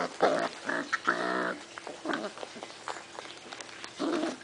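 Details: A batch of six-week-old puppies due for adoption, January 2011, giving a string of harsh, throaty growls in the first second and a half, then softer rumbling and another growl near the end.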